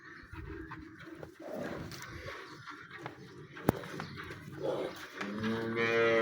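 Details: Cholistani cross cow offered for sale in Punjab, Pakistan. Men chat for several seconds before a long, harmonic moo swells at the end, loud and steady.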